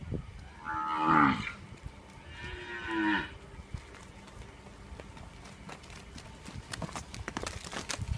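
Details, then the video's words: A Punganur cow gives two moderate moos close together, each wavering and slightly falling, then rustling and clattering noises build toward the end. "punganur cow"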